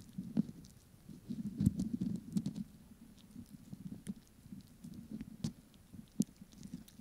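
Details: A Pomeranian snacking, close up for ASMR: low, muffled chewing with moist smacks, punctuated by several sharp clicking bites, louder early on and then settling into quieter munching.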